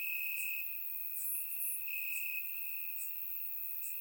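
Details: Night chorus of crickets in grass during a warm Bulgarian summer, surround-recorded; a continuous shrill trill swells and dips, with scattered very high clicks from other insects.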